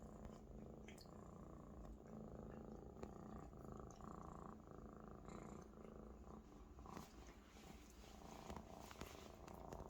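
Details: A Maine Coon kitten lies on a big Maine Coon companion, happy and comfortable, and purrs loudly in a steady, low, rumbling drone that never breaks.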